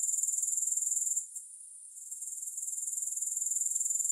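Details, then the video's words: Grasshoppers in a relaxation recording without music: a high, thin pulsing trill, about three to four pulses per second, briefly dropping away for under a second before returning steady and even. "Grass Hopper Sounds"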